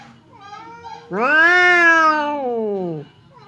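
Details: Domestic cat named Temon, described as fierce, facing a quiet cat named Lelo across a partition as if about to fight; one long harmonic-rich yowl rising then slowly falling, about two seconds, with fainter low cat sounds before and after.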